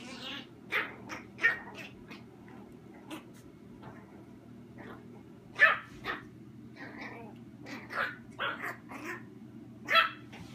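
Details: Playful dogs indoors, chihuahua puppy Royce and mini German shorthaired pointer Sophia, giving scattered yappy barks mixed with brief whiny yelps, spaced irregularly across ten seconds with soft rustling between.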